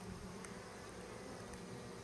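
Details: Yellow-legged hornets hunting native honeybees in front of the hive, flying low during the hornet breeding season. A steady low droning hum with a faint tonal band sits under a constant background hiss.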